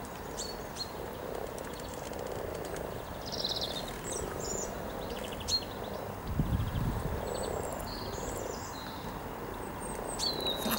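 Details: Spring gathering of hundreds of mating common frogs near Cow Tower on Norwich's riverside walk, 7 April 2013, giving a dense, continuous purring drone in waves, with birds chirping and whistling overhead and a brief low rumble midway.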